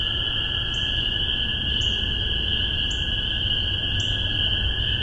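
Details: Spring peeper in Massachusetts, spring 2015, recorded via spaced MXL 603 omni microphones on a Tascam DR-40: four evenly spaced, brief rising peeps roughly one second apart, set against a steady shrill chorus of distant peepers.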